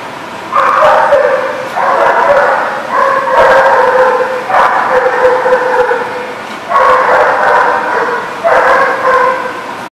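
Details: Dog in a kennel lot on 7 July 2019 giving loud, sustained, tonal whining cries of about a second each, repeated roughly every 1.2 seconds with brief gaps between them.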